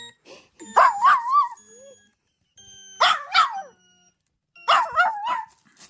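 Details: Maltipoo puppy howling like a wolf in reaction to a sound: three bouts of wavering, warbling howls with barky onsets, each about a second long, separated by short pauses.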